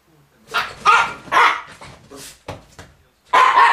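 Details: Jip, a Miniature Pinscher chasing Viva away from a rug in December 2009, gives a scrappy run of barks and yips mixed with scuffling noise. A final loud bark closes the stretch.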